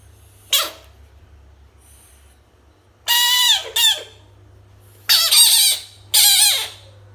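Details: Screaming frog facing toys: a short squeak, then several loud, harsh, wavering shrieks, some doubled, each under a second long, with quiet stretches between them.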